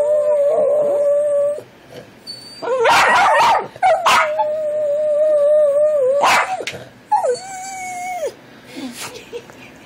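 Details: Dog singing with sustained, wavering howls at a steady pitch, short noisy barks and yips between them, and music in the background.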